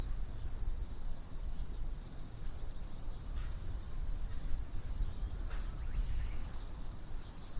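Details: Chorus of insects in autumn, morning: a continuous, even, very high buzzing hiss with no pauses, over a quiet low background rumble.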